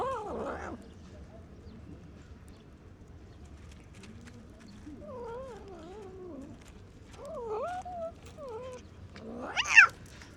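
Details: A hungry, neglected stray cat living among other stray cats makes noises while eating the food it was given and fights to protect it. Long wavering, moaning yowls rise and fall in pitch, ending in a sharp rising screech near the end.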